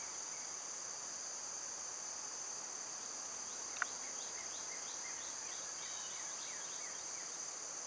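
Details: A loud summer cicada chorus forms a constant high-pitched buzzing wall of sound. Partway through, a bird gives a quick series of short repeated chirps above the drone.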